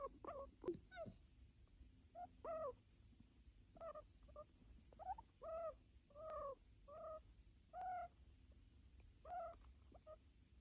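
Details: An American guinea pig being petted gives short, tonal squeaks, each bending up and down, repeated every second or so; it makes this sound while petted, after a year of building trust.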